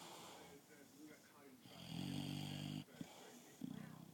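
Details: An English Bulldog, dreaming during an afternoon nap, snores in low, rattling, drawn-out breaths with a brief snort between them.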